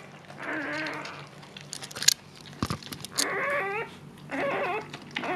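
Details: Siberian Husky Luna in labor, delivering her second litter, gives bursts of wavering, tonal whimpers, broken by sharp crinkling and rustling noises between the cries.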